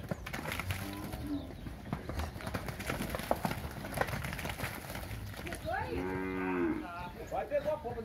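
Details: Fifteen-month-old Nelore and Nelore-cross heifers, part of a group of 77 near São José do Rio Preto, São Paulo state. A soft low moo comes early, then a louder drawn-out bellow near the end, with rustling and noise throughout.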